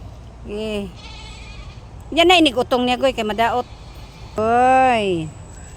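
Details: Domestic goat giving birth, one kid already delivered and another still coming; three loud harmonic bleats, a short one, a long quavering pulsed cry, then a smooth falling wail, with people speaking quietly between them.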